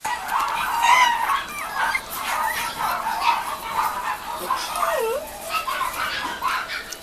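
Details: Mame Shiba puppies starting weaning food at a breeder in Japan: a busy chorus of high squeaky whines and yelps from several pups, overlapping and rising and falling, with faint human voices behind.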